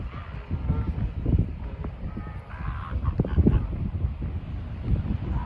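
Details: Northern elephant seals at Point Reyes, Marin County, Northern California, give deep, gurgling grunts and snorts in uneven bursts.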